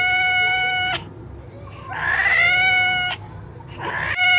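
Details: Cats giving long, steady, drawn-out meows that hold one pitch for about a second each, one after another with little pause and a low background hum.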